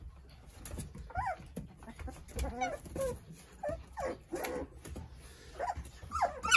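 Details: Nine playful Korean Jindo puppies toddling about under the care of their mother, Sarang: short, high, arching whimpers and yips rise and fall in quick bursts, with soft shuffling and bumping between the cries.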